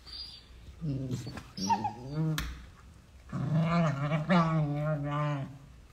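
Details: Beagle puppies playing: low, harmonic growls in two bursts, the second long and steady, with brief rough snorts between.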